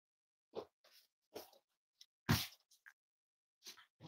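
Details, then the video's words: Cavalier King Charles Spaniel puppies snuggling indoors on a warm Friday morning, giving short broadband snorting and sniffing bursts with gaps, a sharper louder burst midway and a few small squeaky tones. "Cozy Cavaliers Love to Snuggle"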